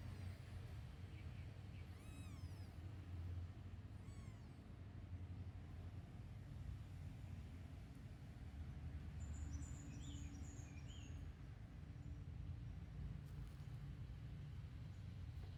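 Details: Newborn kittens huddled asleep after milk let out a few short, high, arching mews early on, then fall quiet under a constant low engine-like rumble, with brief faint high chirps later.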